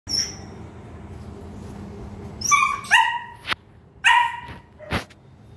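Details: German Shepherd puppy aged two and a half months, prompted to speak, giving several short high-pitched yipping barks with rising harmonics, clustered near the middle and end, over a low steady background hum.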